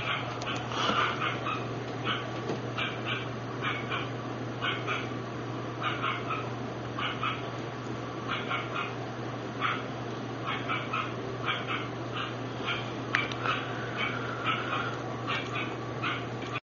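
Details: Parti-coloured female Lhasa Apso puppy giving short high yaps at roughly half-second intervals, in small clusters across the whole stretch, over a steady low hum and background hiss.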